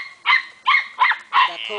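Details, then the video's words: Belgian Shepherd puppy yelping: four sharp, high-pitched yips in under two seconds, each a bright ringing burst following closely on the last. "Cute belgian puppy"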